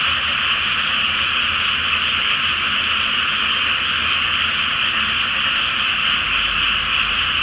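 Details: Night chorus of many frogs in a flooded, not-yet-planted rice paddy under the full moon: an unbroken, uniform blanket of overlapping croaks and trills, with a faint low rumble near the end.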